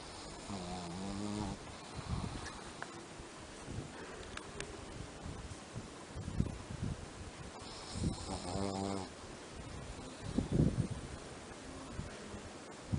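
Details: A female Shih Tzu snores in her sleep in deep, rattling breaths, each rumbling snore lasting about a second; finding: Shih Tzu.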